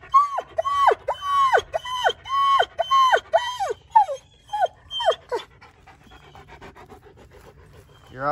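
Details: German Shepherd Odin squeaks one morning while waiting for Sam and Bella as a fire pit is readied: a run of high, arched, squeaky whines, each rising then falling, about two a second for five seconds, then fading to soft sounds and panting.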